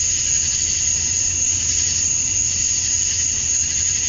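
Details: Georgia, USA, summer night at dusk, male cicadas chirping to attract females: seamless high-pitched buzzing wall of sound topped by a fixed thin whistle-like tone, no pauses, faint low background rumble.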